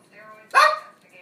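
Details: One sharp, explosive bark from Shadow the dog, brief and loud, with faint murmuring before and after.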